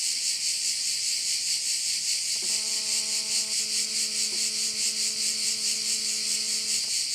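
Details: Crickets at a bay on Korčula, Croatia: a dense, shrill buzzing chorus pulses steadily about twice a second throughout. Midway a low, even tone with overtones enters and holds to near the end.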